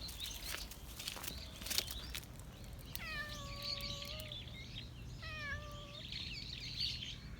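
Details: Stray cat in a park calling out to a passer-by for attention: two drawn-out, harmonic meows, each about a second long, sliding gently downward and spaced roughly two seconds apart, with small birds chirping and footsteps in the background.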